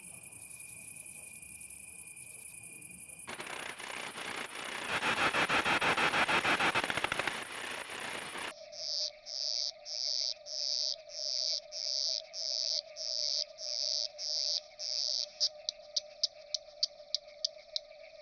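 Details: Platycleis affinis bush-cricket singing at Nesvady, Slovakia, on 22 July 2023. A noisy broadband stretch gives way to a regular series of short, buzzy chirps about every 0.6 seconds, ending in quicker brief ticks over faint steady tones.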